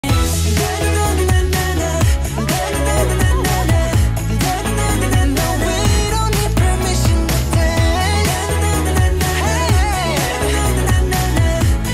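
Only loud pop music with a heavy bass beat and singing is heard, with no animal sounds.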